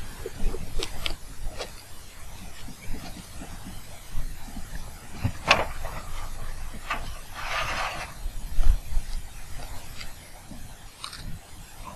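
Low rumbling with scattered scrapes, knocks and a brief hissing rush of noise; no animal voice is heard.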